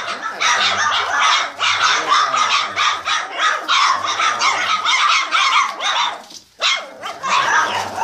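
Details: Boxer puppies, 27 days old, from a kennel litter, during a barking session; dense overlapping high yips and squeaky barks from several pups, nearly continuous with brief pauses, one short gap near the end.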